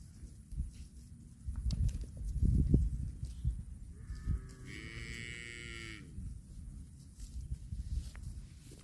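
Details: Cows eating grass give one drawn-out, harmonic-rich moo lasting about two seconds in the middle of the recording, set over steady low rumbling and crunching grazing noise.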